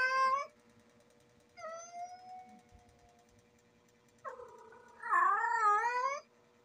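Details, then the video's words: Female domestic cat in heat calling indoors: four drawn-out, wavering yowls with rich harmonics, the last loudest and rising and falling, separated by quiet gaps, over a steady electrical hum. "Female Cat IN HEAT sound"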